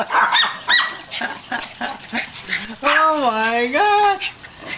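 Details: Pet dogs in a family group of eight, excited while chasing a ball: short yips early on, then a long drawn whine that rises and falls. A person shouting and urging them on talks throughout.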